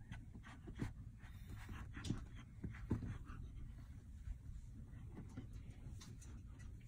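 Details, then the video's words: Sleepy baby lion cubs at Dade City's Wild Things zoo: deep, breathy panting with short low grunts near the first, second and third seconds over a steady low background rumble. "Adorable Baby Lion Cubs Getting Sleepy"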